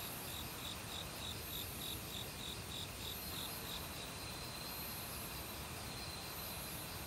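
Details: Forest crickets singing in autumn among a mix of other insects, a rapid run of evenly spaced bright chirps forming a pulsing line, high buzzy trills drifting overhead, and the steady hiss of a mountain stream underneath.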